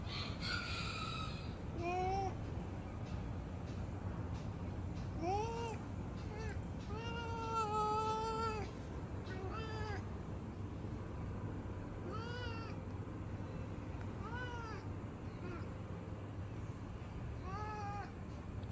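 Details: Mocha, a pet cat said to go into fighting mode on seeing other cats, meows repeatedly in short arched, wavering cries, clustered between five and ten seconds and then spaced every two seconds, over a steady low hum with some human speech.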